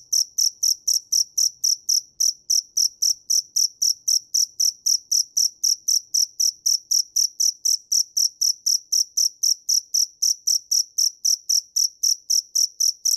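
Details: A dế mèn cricket sings a long unbroken run of sharp high chirps, roughly four per second, very regular and evenly loud, against a silent background.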